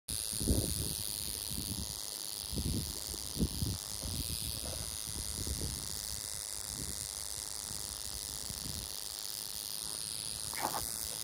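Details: Western diamondback rattlesnake in Oklahoma, 2021: a steady, high, hissing buzz runs unbroken throughout, with scattered low thumps and rumbles underneath.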